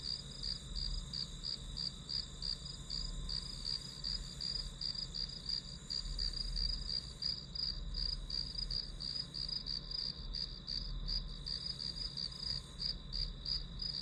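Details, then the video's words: A grass insect chorus chirps in quick, even high pulses for the whole stretch, around three beats a second, backed by a soft low hum. "풀벌레 소리"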